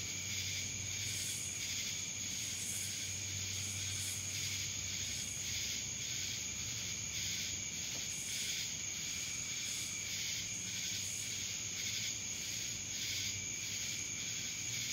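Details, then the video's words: Dallas, Georgia cicadas producing an intense high whine that throbs in quick repeated surges, a low rumble faintly beneath. "Cicadas Black Screen Sounds"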